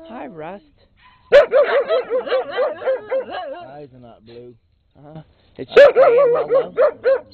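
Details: Rusty, a skinny brown mutt, barks nonstop near Peekero the red Husky in late 2006, with two dense bursts of fast, shrill, overlapping yaps separated by a lull holding a few low murmured sounds.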